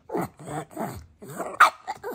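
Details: A pug, apparently angry after being told there are no more treats of cucumber, blueberries and raspberries, gives a run of short, grumbling barks and yips, its voice rising and falling with attitude.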